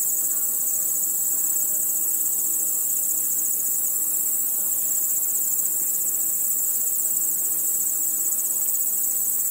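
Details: Chirping crickets fill a starlit night with a relentless thin, high-pitched pulsing drone, steady throughout, over a faint hum of other nocturnal insects.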